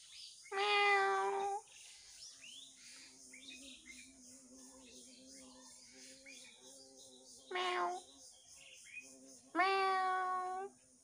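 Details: A house pet cat gives three clear, drawn-out meows: a long one, a short one, then another long one. Quiet stretches lie between them, with a faint low hum.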